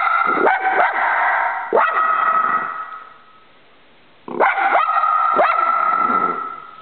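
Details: Choco, a dog, barking at a squirrel outside; sharp barks come in two bursts, each bark ringing on with a sustained tone, separated by a quiet pause of over a second.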